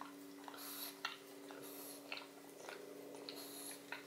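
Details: Odin, a pug, eating a bone filled with marrow indoors: wet smacking chews and sharp clicks come in quick bursts about twice a second, over a steady low electrical hum.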